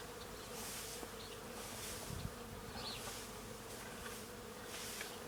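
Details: On a farm, many bees feeding on tree flowers make a steady, low buzzing hum that blends into one continuous drone.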